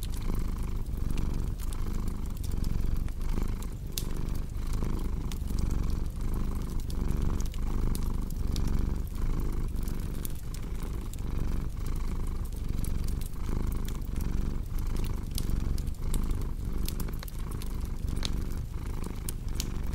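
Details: Steady, low-pitched cat purring that throbs in even breath cycles about once a second, accompanied by continual crackling and popping of a fireplace.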